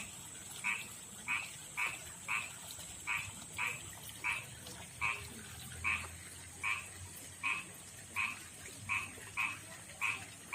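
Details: Male frog calling a female, living in a backyard pond and river, rough-skinned and unlike the rice-field frog; short double-toned croaks repeated steadily, about fourteen in ten seconds, with a faint steady high hiss behind.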